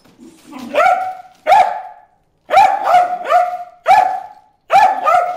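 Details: Bruce, a dog, barks at fish in the water hole; a low whine leads into loud, clear, high-pitched barks in uneven clusters of one to three, with a brief pause midway.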